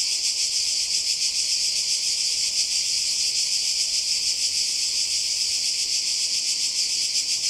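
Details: Cicadas by the sea on the Croatian coast during a 2020 summer holiday fill the air with a dense, high, shimmering buzz that never lets up.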